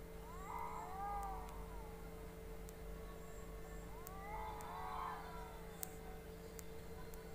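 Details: Fighting pet cats trade two long, swelling yowls that bend up and down in tense, whining arcs, over constant low hum and a few faint clicks.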